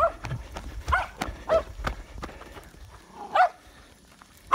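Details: A 7-month-old Patterdale Terrier puppy in Florida, August 2019, gives sharp, yelping barks in irregular bursts while baying a wild boar hog, with a man's shout urging it to catch him between barks.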